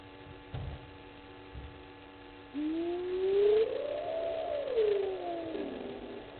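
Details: Side-striped jackal at night, 20:37, at Gowrie dam waterhole on Djuma Game Reserve, Sabi Sand Wildtuin, South Africa; a long smooth tonal call swells upward then slides back down over about three seconds, above steady electrical hum, after a few dull low thumps.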